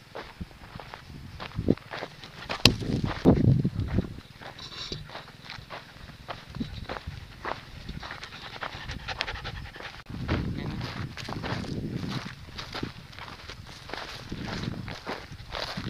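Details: Penny, a little corgi out in Tuscany, panting in quick breathy bursts with soft footsteps and rustling outdoors; a louder scuffle near the start and a denser run of breaths later.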